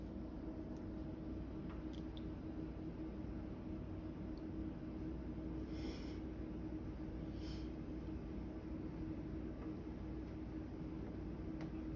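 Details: A steady low rumble with a faint constant hum fills the room, broken only by a few soft clicks and no animal voice.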